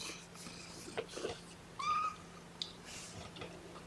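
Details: One of Mama Seraphina's four kittens objecting to being pottied before weighing, 2018-10-01 weigh-in indoors: a single short, flat, thin meow midway, with rustling and handling noise around it.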